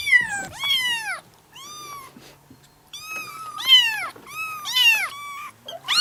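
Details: Several domestic cats mewing insistently, overlapping high-pitched calls that rise then fall, roughly six mews in six seconds, some strained and wavering, with a faint low hum underneath.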